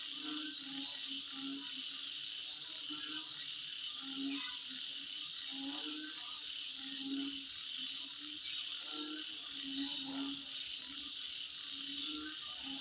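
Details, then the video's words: Midnight insect chorus, a steady high ringing drone with no pauses, accompanied by repeated deep, brief croaking notes at irregular intervals and scattered thin chirps riding on top. "Sound Of Insect At Midnight"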